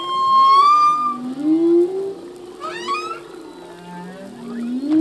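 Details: Male humpback whale singing in the ocean: long moaning tones with bright harmonics, one high whistle held early, then a slow rising swoop and a quick upward-sweeping cry near the three-second mark, low groans underneath.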